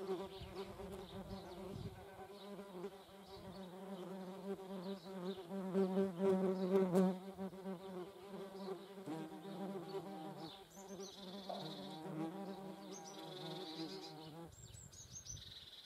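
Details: German wasps flying at a feeding place make a sustained, deep buzzing drone for about fourteen seconds, wavering slightly in loudness. It ends suddenly, and quiet, high-pitched bird twitters remain.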